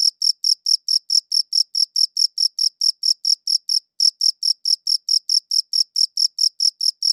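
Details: High, ringing cricket chirps repeated around four times per second, with one slight hitch midway; crisp, high-quality recording with no background noise.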